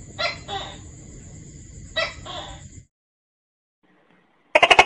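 A tokay gecko gives loud, croaking two-syllable calls, each pair a harsh 'to-kay'.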